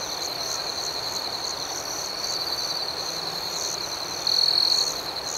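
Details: Crickets at night chirp in a steady, high-pitched shimmering chorus with fast rhythmic pulsing; a louder, closer trill breaks in near the end for about half a second.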